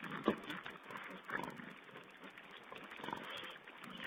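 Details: Webcam recording of wild boar piglets at a feed, dated 16 April 2010: short rough grunts and snorts come in separate bursts about a second apart, the first the loudest, with faint squeaky chatter between them.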